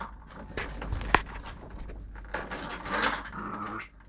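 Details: Lakeland Terrier pup roughhousing with another terrier, a Lakeland x Patterdale, filmed on a phone: low grumbling growls and panting, a sharp click near the start, then a louder rasping snarl midway.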